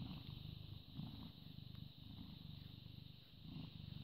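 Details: Purring British Shorthair cat, born 18 August 2010, filmed 14 May 2017 at 09:16: a strong, continuous low vibrating rumble throughout, slightly louder at start and end, over a constant high-pitched electronic hum.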